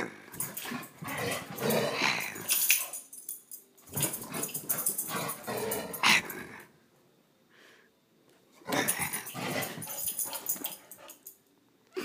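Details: Bailey, a black dog, indoors, making rough, noisy growling bursts that each last a couple of seconds, heard in three bouts separated by short quiet gaps.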